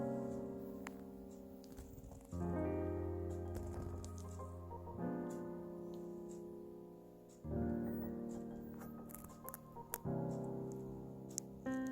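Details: Soft piano music plays in sustained chords, fading between phrases, with a few faint taps and no animal voice.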